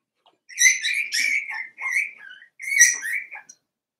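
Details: Daisy's litter of Cavalier King Charles Spaniel puppies, four weeks old, in their pen indoors. Loud, shrill whining squeals come in three long bursts, each wavering and dropping in pitch, with short pauses between them.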